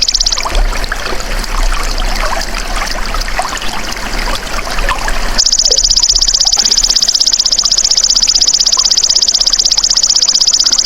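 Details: Golden grasshopper recorded as a tutor sound for songbirds, starting after a stretch of trickling, water-like background: a loud, high, rapidly pulsed buzzing trill that runs steadily without a break through the second half.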